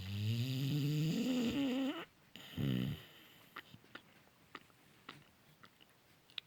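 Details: Cane Corso puppy sleeping soundly indoors, snoring loudly: a long harmonic, rising snore for two seconds, then a shorter rough snore, followed by quiet breathing with small clicks.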